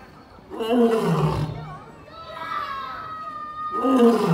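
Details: Captive lion at London Zoo roaring back after a visitor imitates a lion roar: a loud, deep, harmonic roar burst lasting about a second, then a second roar starting near the end, with people talking and a child's voice between.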